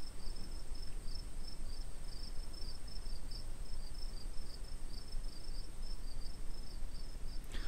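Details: Crickets in meadows of the lower Friuli plain, Italy, stridulate in high, thin pulses repeated several times a second, with a steady high trill and a low rumbling background.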